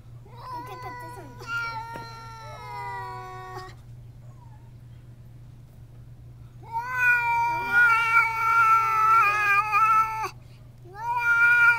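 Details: Two cats facing off through a screen door, the house cat riled by a visitor: wavering yowls, a few seconds of silence, then louder overlapping warbling howls with quick pitch wobbles, a steady low hum underneath.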